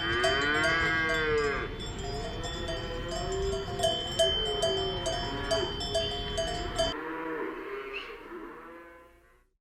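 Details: Relaxed cows lowing, a drawn-out moo sliding down in pitch followed by softer wavering lowing, over constant clanking cowbells that stop abruptly near the end, leaving a fading final call.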